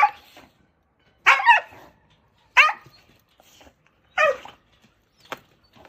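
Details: Jindo dog described as aggressive, one that bit the shelter director who fed it for three years, during a rescue transport at Naraeul Center in Ulsan, South Korea; four sharp, harsh barks spaced about one and a half seconds apart in a quiet indoor room.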